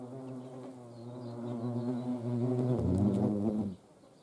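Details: Hornets being hand-fed in the Eifel, Germany: a steady low droning buzz with layered harmonics that swells louder toward the end, shifts pitch slightly near the close, then stops abruptly.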